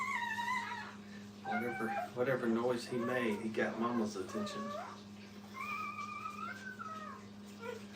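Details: Brittany puppies with their mother at a kennel, giving drawn-out, high, wavering whines at the start and again near the end, with a human voice talking in between over a steady low hum.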